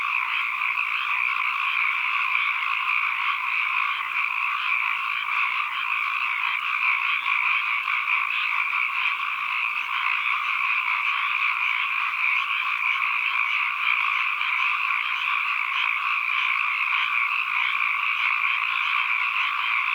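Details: Frogs calling in a dense, continuous chorus with no breaks, a steady trilling wash of overlapping voices heard as ambient environmental sound.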